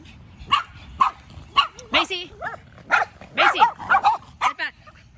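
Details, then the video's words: Macy, a Yorkshire Terrier, anxiously trades barks with the neighbour's two dogs; sharp, high yaps come in irregular bursts about twice a second, mixed with whiny tonal yelps, while a person keeps calling a name in the background. "Macy the Yorkie is out for a Battle of the Bark"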